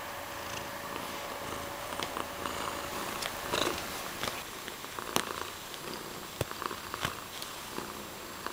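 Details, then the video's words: Pet cat Mysli purrs in a continuous low vibrating rhythm, broken by a few sharp clicks and taps near the microphone. "Purring cuteness"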